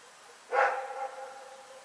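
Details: One loud bark from Rex, a dog heard at Pyrga at night on Feb 27, 2018, fading into a drawn-out tonal tail.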